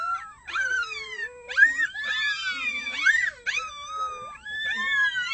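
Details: Early morning chorus of red wolves: six pups almost one month old joining adult howls, a dense tangle of overlapping wavering howls, sliding up and down, with quavering high cries layered together.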